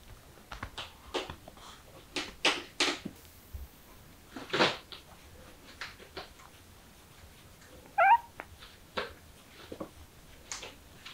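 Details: Kittens excited by the smell of chicken: a run of sharp rustling, scratching clicks, then one short, rising, tonal meow near the eighth second, followed by more scattered scuffing noises indoors.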